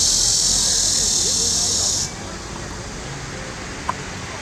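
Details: Cicadas in the trees by the lake at Huangzhou, China, give a loud, steady, high-pitched buzz that fills two seconds, then cuts off abruptly.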